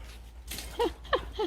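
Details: Three-month-old puppies playing tirelessly indoors; short high whining yelps in three bursts, each sliding down, with a low steady hum underneath.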